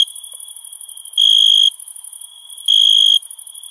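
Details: Summer night crickets: two bright half-second trilled chirps about one and a half seconds apart, standing out above a constant thin high-pitched buzzing background.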